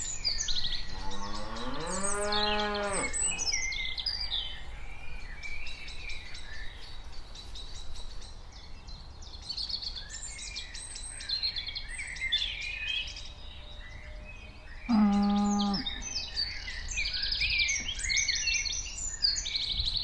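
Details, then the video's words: Cows walking around: a long, low moo that swells and rises in pitch over the opening seconds, then a shorter moo about fifteen seconds in, with steady bird chirps and twitters above throughout. "Cows walking sound effect / cows sound / cows walking around"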